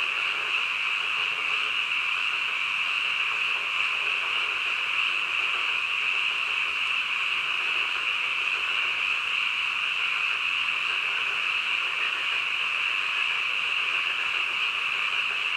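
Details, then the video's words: Frogs heard at midnight in a thick, continuous chorus: a bright, steady trilling wall of sound that stays level for the full length, only slight swells in the lower background. "한밤중 개구리 울음소리"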